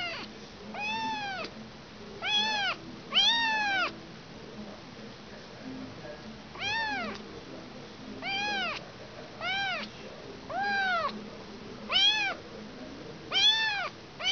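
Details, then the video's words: Kitten that has lost its mother, calling with repeated high arched meows, each rising then falling, in bursts of one to three about every one to two seconds, with faint low background hum indoors. "Anak kucing kehilangan ibu."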